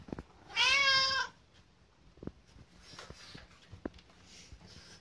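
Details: Kotetsu, a pet cat, begging for food well before mealtime; one short, bright meow near the start, then faint clicks and household rustling.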